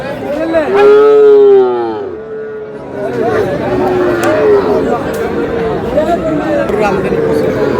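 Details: Sahiwal bull on a farm in Cumilla, Bangladesh, gives a drawn-out harmonic moo lasting about a second, followed by softer lowing, amid people talking and crowd chatter outdoors.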